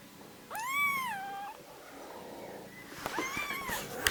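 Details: Baby kittens meowing before falling asleep and yawning: one clear, rising-then-falling meow lasting about a second, then a quieter pause and a second, higher, strained meow near the end, indoors.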